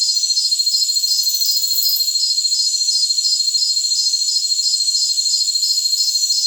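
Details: Jungle crickets give a high, steady chirping trill made of rapid, evenly spaced pulses that run without a break, with a faint hiss and no other sounds.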